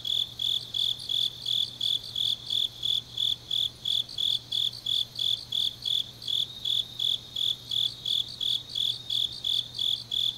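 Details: Night chorus of grass insects in deep autumn, Changnyeong, Gyeongnam, Korea; evenly spaced high chirps, roughly three per second, over a shimmering upper trill and a faint steady low hum.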